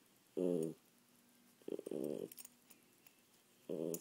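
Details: Poodle named Tasha indoors giving three short harmonic barks, the middle one longer and rougher, spaced over four seconds in a quiet room.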